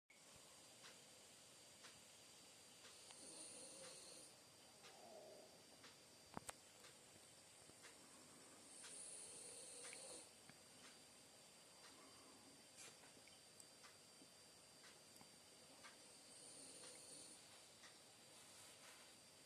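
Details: French Bulldog named Bonita snoring while asleep; soft, low rasping snores swell and fade roughly every six to seven seconds over a steady background hiss.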